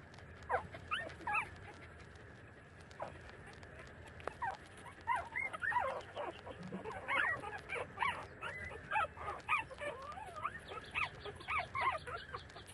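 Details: Puppies about 30 days old feed from their mother, whimpering and yipping almost continuously in quick, high, wavering squeals, sometimes overlapping, with soft shuffling beneath.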